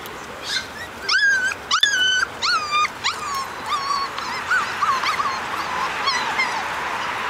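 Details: Portuguese Water Dog puppies, four weeks old, on their first time outside on a cool July 15th morning, give high whining whimpers and yips in a rapid series of rising-falling cries, over steady background hum.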